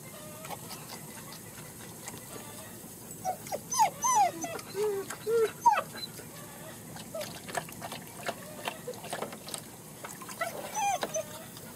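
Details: German Shepherd puppies at a kennel in Mayo, Florida, out for the first time with their mother, whimper in a cluster of short, high, bending whines midway, set against steady outdoor hiss and scattered clicks.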